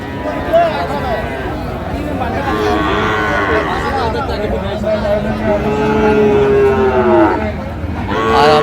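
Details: Young Sahiwal bull at Raniganj cattle market, Barishal, Bangladesh, 28 November 2024, during buying and bargaining: a drawn-out, slightly falling lowing moo near the end, with constant chatter and voices of the crowd throughout.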